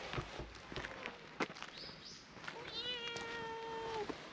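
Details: Cream-coloured cat that enjoys having its face rubbed but kicks in protest when its body is touched, giving a single drawn-out, slightly falling meow near the end after soft rustling and scattered clicks outdoors.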